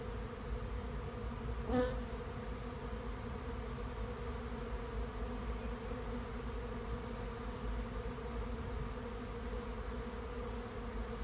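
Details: A swarm of honey bees entering a swarm trap gives a continuous, even, low-pitched drone of massed wingbeats, broken by one brief sharp click early on.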